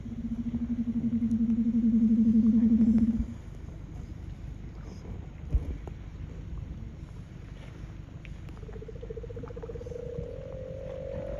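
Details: A large male leopard seal basking on an iceberg in Bulls Bay, Antarctica, in December sings a loud, low buzzing trill, then a quieter tone that slowly rises, echoing across a wide area.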